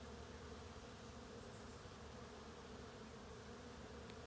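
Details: Western honey bees among summer blossoms at Mount Auburn Cemetery, Cambridge, Massachusetts, give a steady, low droning buzz that holds without a break.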